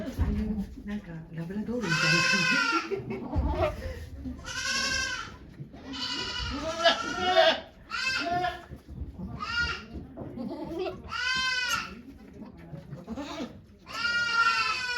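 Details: Goat bleating throughout the delivery of the doe Okayu's twin kids at Yoshigake farm, Japan, 3 May 2023: around nine shaky, harmonic-rich bleats of varied length come in rapid series alongside volunteers' murmured talk.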